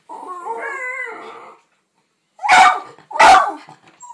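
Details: Jack Russell terriers, two pets having a barking contest on a birthday: a wavering, harmonic whine lasting about a second and a half, a pause, then two loud, sharp barks.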